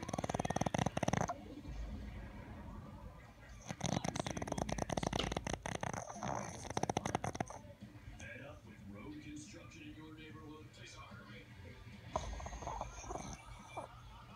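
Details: A Boston Terrier snores in rough, rattling bursts while dreaming, with people talking softly nearby.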